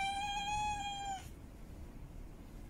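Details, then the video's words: A female cat in heat holds one long, even-pitched meow with strong overtones for just over a second, calling for a mate, then falls silent into quiet background noise. "Female Cat In Heat Meowing Mate Calling"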